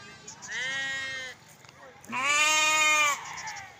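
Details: Lambs bleating: two harmonic, wavering bleats, the first about a second long and softer, the second louder and slightly higher, with a short quiet gap between them.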